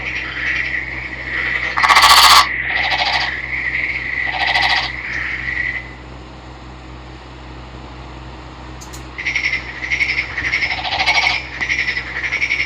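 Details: Green-coloured male Nagoya Daruma pond frog, caught by net in a river and now kept, calling: rapid pulsed trills grouped in bursts, loud grating bursts near the start, a quiet pause, then renewed pulsing trills.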